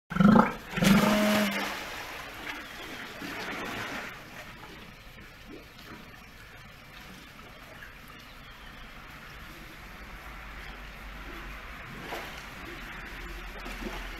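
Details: A Steller sea lion pup at an aquarium, scratching itself, gives a couple of low, harsh, bawling calls, then falls quiet over splashing water.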